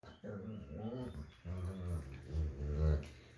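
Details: German Shepherd playing with his puppy indoors in a small room: a run of low, voiced growl-like moans with wavering pitch, several drawn-out phrases each lasting about a second, separated by short pauses.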